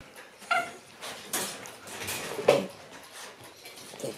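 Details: Black Shiba Inu male puppy born on 24 December, indoors, giving a few short whimpering yelps: a tonal cry near half a second, softer breathy sounds, a sharper yelp around two and a half seconds, then quiet.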